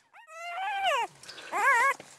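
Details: Newborn Great Pyredane puppies from a spring 2016 litter, a Blue Great Dane cross, giving two high, wavering whines that rise then fall, the second more tremulous, with a quiet pause between.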